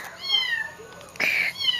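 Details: Domestic cat crying indoors after its companion kitten Jolly died from a dog attack; a long, high meow that slides downward, then after a short pause a second, shorter meow rising again.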